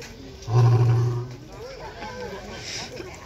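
A lion gives a deep, rumbling roar lasting under a second, then a quieter background follows.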